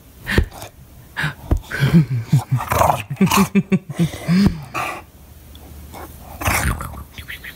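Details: A pet English Bulldog throwing a fit because he is not being played with makes an Ewok-like racket: a rapid run of short, low, moaning grumbles and yelps, a couple of sharper barks, and light talking in a small room.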